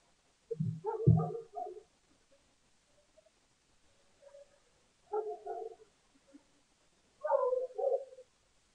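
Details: Lesser bush baby visiting a bird cam in South Africa for its yogurt dinner, June 20, 2015; two low thumps near the start, then short, hoarse, mid-pitched chattering bursts, three clusters spaced a couple of seconds apart.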